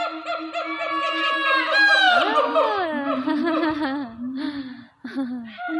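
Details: A female siamang at Taronga Zoo, Dubbo, New South Wales, Australia sings loud, tonal hoots that swoop upward and break into quick, barking notes.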